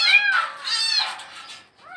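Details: Cat stuck inside a well in Bangladesh gives a drawn-out, wavering meow that rises and falls, then starts a fresh rising cry at the end; a slight room-like echo.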